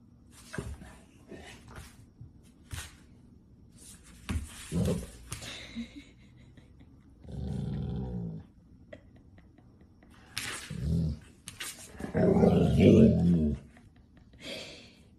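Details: Golden Retriever putting on a dramatic show, giving a low droning grumble for about a second, then a louder, rough growling vocalisation, amid thumps, rustling and brief noisy bursts.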